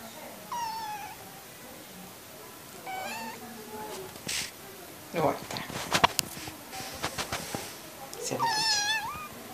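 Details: Cat being washed indoors in a small room, giving drawn-out meows that waver and rise, one near the start, one at three seconds and a longer one at the end, with splashing and handling noises between.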